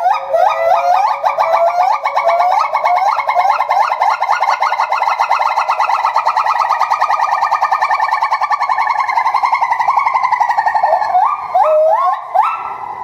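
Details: Higashiyama Zoo and Botanical Gardens, January 2011: a Bornean white-bearded gibbon calls nonstop while jumping about, opening with rising whoops that build into a long rapid warbling trill, then closing with a few separate upward swoops.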